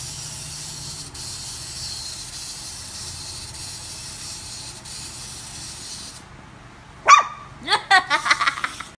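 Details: Shih Tzu puppy: a steady hiss fills the first six seconds, then a quick run of five or six thin, high-pitched squeaky yelps, each short and sharp, closes the recording.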